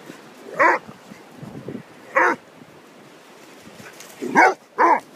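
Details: Two dogs, a Whippet named Orla and a Basset Hound named Peter, at play on Holkham Beach: four loud ringing barks, two isolated early, then a quick pair near the end, with soft murmuring noise between.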